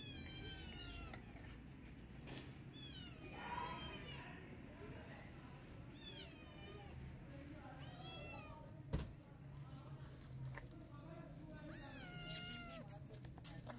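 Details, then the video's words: Mother cat chasing off a feral cat to protect her newborn kittens; a series of drawn-out wavering yowls with rising and falling harmonics, repeated through the clip, plus a sharp knock midway and low background rumble. "Angry Mom Cat Running After Feral Cat To Protect Her Newborn Kittens"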